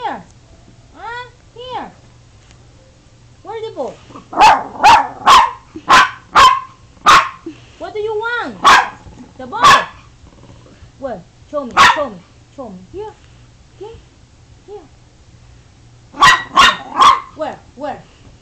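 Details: Android phone recording of a pet dog "talking": curved whining yelps, then a fast run of about a dozen barks, more whines, and a final burst of three barks, with a person repeatedly asking "where" and "show me".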